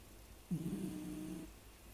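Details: Sleeping Shiba Inu dog snoring indoors, usually much louder than this: one low, droning snore lasting about a second, with a steady hum and a faint rasp, in a quiet small room.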